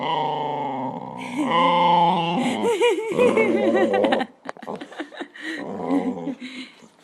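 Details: Tabasco Jones, a dog, 'talking' to its owner indoors: a yodelling, howl-like run of rising and falling tones with grumbling notes that fades into quieter mutters after about four seconds, with laughter and music nearby.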